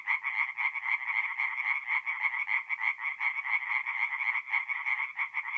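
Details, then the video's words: Tree frogs sing in a forest pond at night in mid-April, north-east Italy: a rapid series of short, rasping croaks with a brief pause near the middle, set against an overlapping chorus of more frogs. "relaxing forest pond by night with singing tree frogs"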